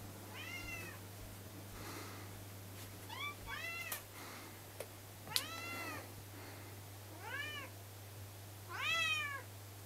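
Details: Kei and Patra, pet cats, demanding their breakfast with a run of about eight loud, arched meows, each rising then falling, some overlapping, over a steady low indoor hum.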